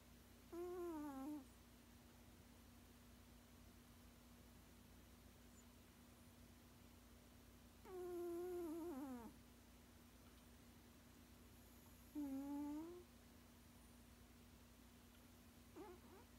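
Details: Sixteen-year-old male cat making sounds while asleep: three quiet, drawn-out, moaning whines spaced several seconds apart, slightly wavering then falling in pitch, over a steady low electrical hum.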